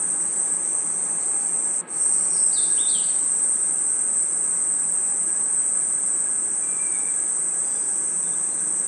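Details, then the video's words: Crickets and other insects chirping at night in a forest: a steady, very high-pitched continuous trill fills the whole recording, cut by a brief dropout near two seconds, with a few faint descending notes from another caller. "Crickets & Insects Chirping Sounds"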